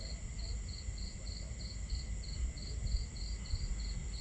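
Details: Cricket chirping on a starry night at a campsite: even, regular chirps about three per second, high and clear above a deep murmur of water and crackling fire.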